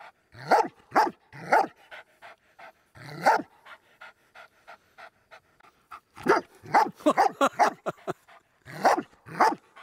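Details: German Shepherd personal protection dog, unprovoked, reacting to two people standing close to him and his owner: loud harsh barks in bursts, separated by rapid soft panting breaths, with a brief pause midway.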